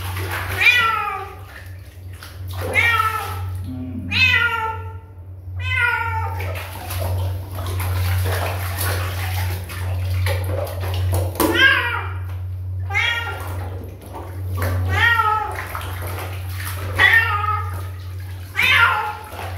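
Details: Kitten meowing repeatedly, short falling cries in quick bursts with pauses between, over a constant low electrical hum, with brief clatters and a little background voice.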